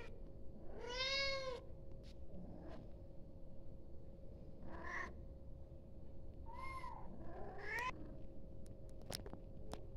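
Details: Kitten calling its mother indoors: a few high arching meows spaced a couple of seconds apart, some faint, with a steady low hum and occasional clicks.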